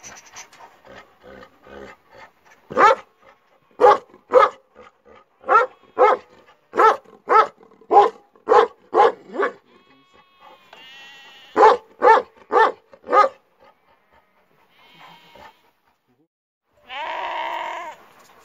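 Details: Kangal dogs ready for duty: after some faint sounds, a steady volley of loud, deep barks roughly every half second, a short pause, another quick burst of barks, then quiet and a final noisy burst.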